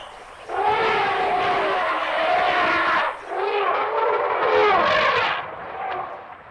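An elephant gives two long, loud, brassy trumpeting calls with a wavering, harmonic tone.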